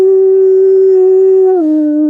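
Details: Wolf howl heard up a drainage about five minutes after a coyote alarm: one long, steady, low howl held level, then dropping slightly in pitch near the end, clean with no other sounds.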